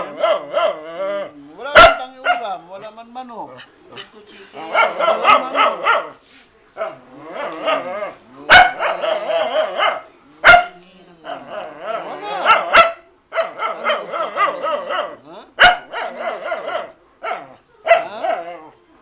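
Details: Hungry pet dog asking for food; long runs of moaning, talking-like yowls and whines in bursts of one to two seconds, with sharp knocks in between.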